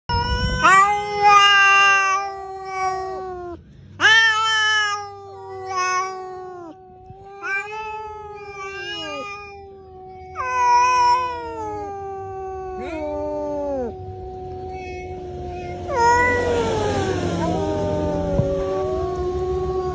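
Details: Fighting cats trade drawn-out, harmonic yowls, about seven in twenty seconds, each wavering and sliding downward in pitch. A harsh, noisy hiss-like outburst breaks in near the end.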